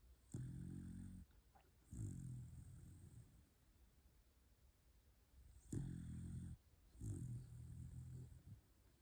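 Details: Sleeping Pembroke Welsh Corgi snores in four deep, rumbling breaths of about a second each, paired closely, with quiet pauses between pairs.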